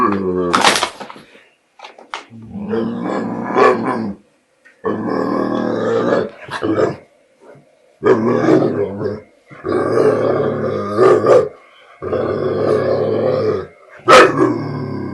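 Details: American Bulldog scared of a border collie and hesitant to take back his bottle, making funny sounds: a series of long, harmonic growly moans of one to two seconds each, separated by short pauses, with a few sharp higher yelps.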